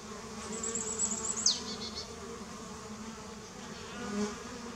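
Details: Honey bees at a watering place in 2019: a continuous low droning buzz, joined around the middle by a brief high whistle that sweeps sharply downward, and a swell in the hum near the end.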